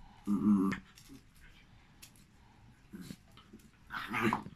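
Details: Jack Russell and Malinois brought together inside. A short gruff growl opens, then quieter rumbles, ending with another harsh growling burst.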